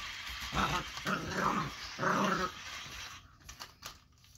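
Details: Young Boxer puppy, eight weeks old, growling at an interactive robot toy in three rough, throaty bursts within two seconds, then quieter clicking and rattling from the toy.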